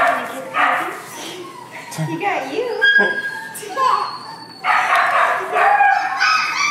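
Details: Young Kai Ken puppy from a fall 2011 litter, heard in a series of rasping, broadband yelps and thin rising yips among overlapping human voices.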